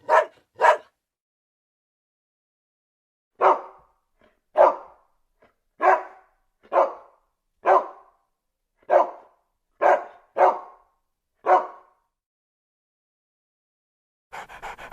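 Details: Pet dog barking in short, sharp bursts: two quick barks, a pause, then a steady run of about nine evenly spaced barks roughly every second, ending with a brief rustle.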